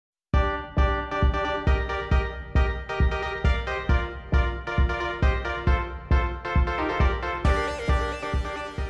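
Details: Upbeat synthesized music with a regular bouncing beat plays throughout, with no animal sounds.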